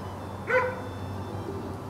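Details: One short, sharp bark from a female sable German Shepherd, a single harmonic yap lasting a fraction of a second and standing out against a steady low hum.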